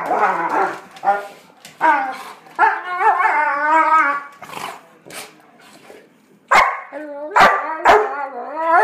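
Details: Pet dog making odd playful sounds while playing with another dog: drawn-out wavering whines and yodel-like moans with sharp short barks between them, several bursts over the recording.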